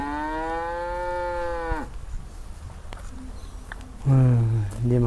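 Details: Trapped, agitated cow in an irrigation ditch near grassland, lowing one long even moo of nearly two seconds that breaks off abruptly, then quiet rustling and short low, hoarse grunts near the end.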